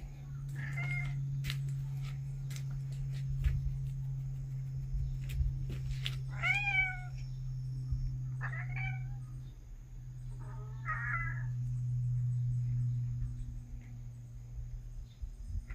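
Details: Cats kept at home in September 2021, early autumn; a few brief, scattered meows, short and slightly downward-bending, heard over a loud continuous low droning hum and some clicking noises.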